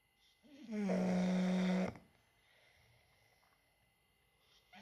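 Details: An English bulldog gives one loud, rasping snore with a steady low buzz, then quiet breathing.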